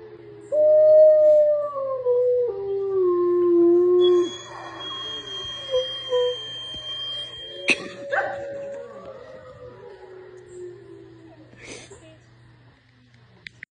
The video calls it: The bigger the Wolf the smaller the Howl?